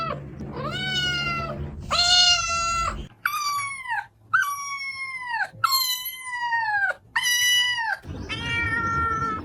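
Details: Cat meowing insistently, a string of long, bright, downward-sliding meows, with low rumbling background noise at the start and end.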